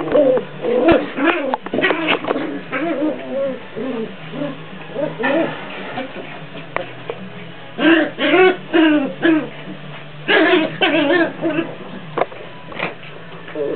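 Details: Two Jack Russell Terrier puppies play fighting indoors: bursts of wavering, harmonic growls and yips come in quick clusters, with pauses between, and soft scuffling underneath.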